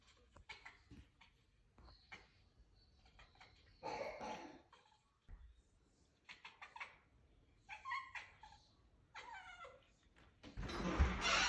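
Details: A cat seeing a bug for the first time, making a series of short, broken chirping and chattering calls in bursts, some with stacked harmonic tones, followed by a louder rustling burst at the end; indoors in a small room.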